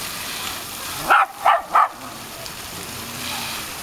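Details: Tricolor Shetland Sheepdog named Sky, playing with water during a summer holiday at Breskens, Zeeland, on 18 August 2011: three sharp barks in quick succession over a steady rushing hiss like running water.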